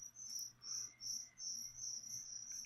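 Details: Live feeder crickets meant for a leopard gecko sing a shrill, ringing trill. It swells and pauses roughly every half second in even bursts over a quiet background hum.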